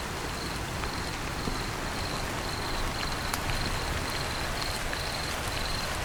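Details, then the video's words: Cricket chirping on a rainy day: short, high, steady chirps repeat roughly twice a second over a constant wash of heavy rain, with a few sharp drip clicks and low rumbling noise. "cricket chirping on rainy days"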